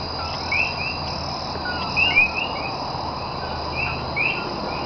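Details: Common coquí frogs calling at night in Cayey, Puerto Rico, on 28 January 2010, short, loud upward-sweeping chirps repeating against a steady insect hum.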